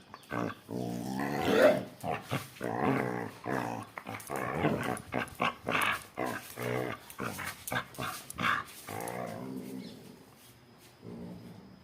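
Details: Miniature Pinscher and another dog give a rapid run of harsh, rough barks and growly vocal bursts.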